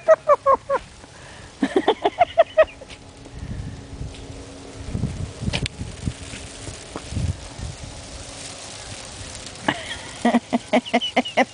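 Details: Aggie, a young Yorkshire Terrier, barks while playing outdoors in snow. Quick strings of sharp, high yaps open and close the stretch, with soft rustling and a few words between them.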